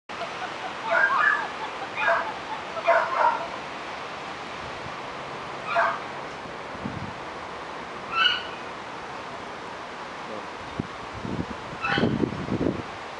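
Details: German Shepherd puppies at 5.5 weeks old in a garden give a series of short whimpering yelps, about six bursts spread over thirteen seconds, with low rustling and soft thumps toward the end.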